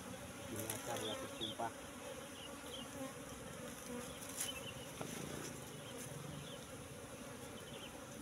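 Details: Buzzing of a wild Asian honey bee colony nesting in bushes, its nest full of honey after a colony split about a month ago; steady low droning hum throughout, with brief human voices near the start.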